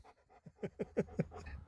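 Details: Sherpa, a pet Alaskan Malamute, handling a phone and grumbling back at his owner: a series of short, rhythmic, low vocal grunts roughly every fifth of a second, with quiet indoor background.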